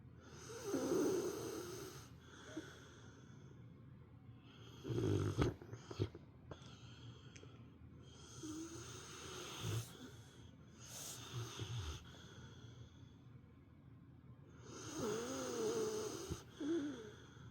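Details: Female pet dog asleep during nap time, snoring like an old man; rasping snores come roughly every five seconds, some with whistling wheezes, between quieter breaths.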